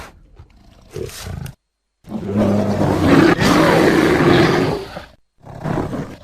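A bear gives a deep, rough roar that swells for about three seconds, with brief grunts around it.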